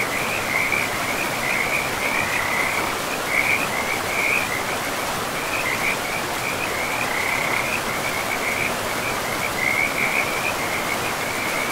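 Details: Beside a forest river, frogs keep up a steady chorus of quick, high, rattling chirps in short bursts, repeated throughout over a constant hiss of flowing water in a pristine, moss-covered woodland.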